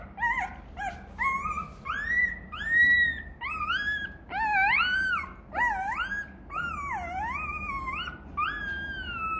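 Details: Rottweiler puppy whining for its mother's milk, hungry: a steady string of loud, high-pitched whines, each rising then bending up and down, about one every second, plaintive and insistent throughout.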